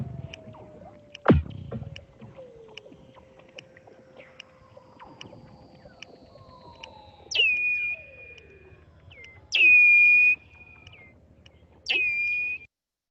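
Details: Weddell seals under the Antarctic sea ice give long descending whistles, chirps and sharp clicks, ending in loud high trills.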